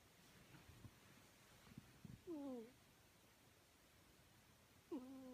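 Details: A sleeping pet cat snoring: two quiet, tonal, faintly wavering breaths about two and a half seconds apart, with soft rustling and faint background noise in between.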